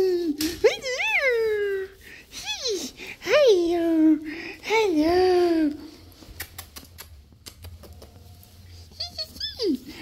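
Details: Black and silver Miniature Schnauzer named Shayna at home in Cape Town, South Africa, happy to have dad back from a business trip, recorded on a Samsung Galaxy S23 Ultra; rising, wavering whines and yodel-like howls in bursts, with a man's voice greeting her.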